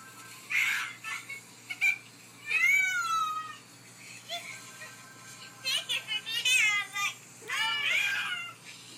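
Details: Sylvie, a pet cat, just after being given a bath indoors: several high, wavering meows with rising and falling tone, spread irregularly across the recording in a small room, with faint other sounds between them.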